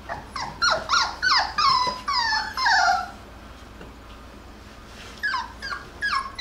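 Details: Jackabee puppies, Beagle and Jack Russell mix, cry while playing together: sharp high yelps and drawn-out whimpers that fall in pitch come in a quick burst, then a pause and a few more short cries.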